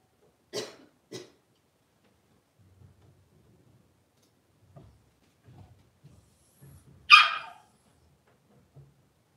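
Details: Blenheim Cavalier King Charles Spaniel puppies, a litter of five born at New Year's, indoors as they move into a bigger pen. Two short sharp yips come early, then quiet scuffling, then one loud high yelp near the end.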